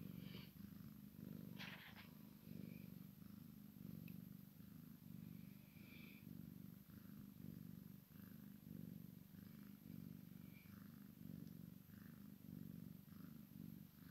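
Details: Maine Coon x Sphynx cross cat purring while a kitten plays with its mother; a steady low rumbling purr pulses continuously, with occasional faint rustles and soft higher scratching noises.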